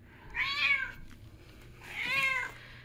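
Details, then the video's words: Female cat crying loudly for attention indoors, louder than usual in the cold Minnesota season; two similar drawn-out meows about one and a half seconds apart, each swelling then falling. "Kitty Mint screams for attention, is quiet during pets, then screams more"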